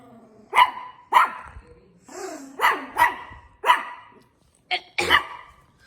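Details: Dog giving loud, sharp barks spaced roughly half a second apart, broken by a brief whine, with a faint high hiss in the background.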